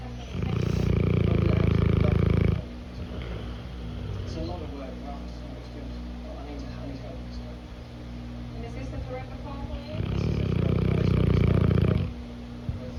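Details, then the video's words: Cane Corso snoring while napping: two long, loud, low rumbling snore bursts near the start and end, separated by a quieter stretch with faint breathing and soft background sounds. "Cane corso snoring while napping."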